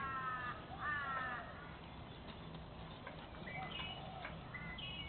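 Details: Playtime between 14-month-old Staffordshire Bull Terrier Spike and three of his puppies, Bandit, Patch and Brutus: strained, harmonic whining squeals open the recording, followed by shorter high yelps scattered over a steady background hum.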